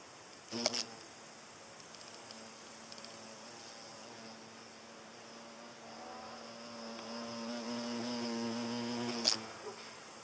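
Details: Hornet driving off butterflies, giving a steady low droning hum that holds one pitch for about eight seconds and grows louder near the end, with sharp clicks at the start and finish.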